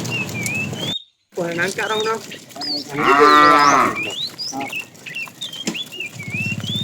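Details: Fat tame cow calling to a female while a herd is driven along in the afternoon: one loud, drawn-out moo of about a second, rich and arched, with people talking before it and small birds chirping throughout.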